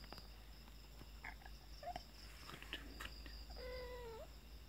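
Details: Mother cat and kitten at night, both bathed before bed: a short, bending meow near the end, after soft rustles and clicks, over a steady low hum and a high whine.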